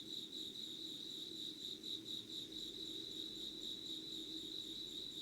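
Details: Early-morning insects, 25 August 2019 at 5:00, singing by candlelight: a bright high-pitched pulsing trill with quicker throbbing in places, steady and continuous over a low background hum.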